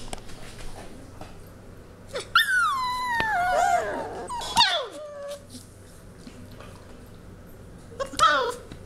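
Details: Labrador mix puppies, one of five settling in at a foster home, whimpering: high, thin, wavering whines that slide downward, a run of them in the middle and another near the end, with soft knocks and low room noise.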